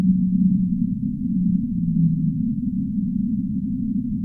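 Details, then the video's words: Whale giving a long, low, steady moan that sags slightly lower midway, over a constant deep rumbling wash of water noise; nothing audible in higher pitches. "relaxing Whale sounds"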